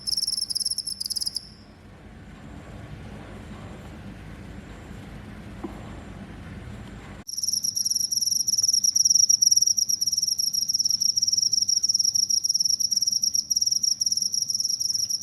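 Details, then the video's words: A cricket, used to repel rats, chirps briefly, falls almost silent for about six seconds with only faint tones, then bursts into a continuous loud, high, shrill trill to the end. "suara jangkrik pengusir tikus"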